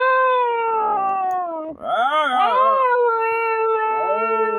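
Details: Dog howling as if trying to communicate: one long, sustained, harmonic-rich howl with a sudden dip and wavering, yodel-like bends near the middle, then a steady, even tone to the end.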